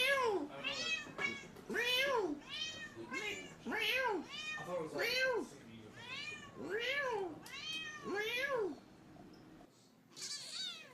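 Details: Domestic cats talking to their humans indoors: a run of about nine arched, harmonic meows, each roughly half a second, rising then falling, repeated at an uneven pace, with a person's voice in between.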